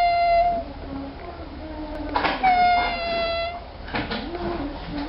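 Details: Rare baby African clawless otter, torn between eating, sleeping and singing, gives sustained high whistled squeals rich in overtones: one short, then a longer steady one, with low murmuring voices and room noise behind.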